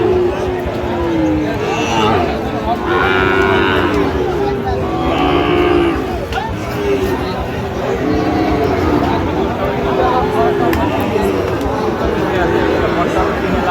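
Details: Sahiwal bull calf at a busy cattle market in Bangladesh, 13 November 2025, during buying and selling: several drawn-out, wavering moos with bending pitch around the second to sixth seconds, over constant crowd murmur and men talking.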